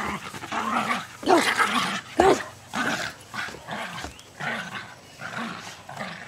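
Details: Jasper and Jaclyn, two almost two-year-old Jack Russell Terriers, play fighting and chasing in a lush backyard in Lenexa, Kansas on 5/5/09; low play growls and scuffling, with a man urging them on.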